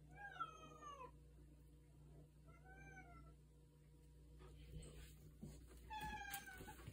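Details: Indoor female cat meowing at night to go outside: three separate meows, a longer one first, a shorter one about two seconds later, another near the end, with soft rustling and a person's voice in between.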